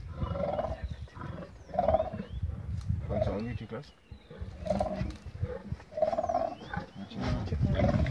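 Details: Male lions fighting give repeated deep rough roaring grunts, about six bursts over eight seconds, over men's voices talking about the injuries.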